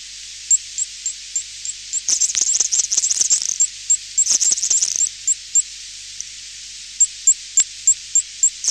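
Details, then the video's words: Garden tiger moth clicking to jam bat echolocation, distant and high-pitched: regular sharp ticks broken by two dense rapid bursts of clicks, with steady ticking resuming toward the end. "Garden Tiger Moth / CU Clicking Produced By Moth (Blocking Bat's Echo-Location). Distant High-Pitch"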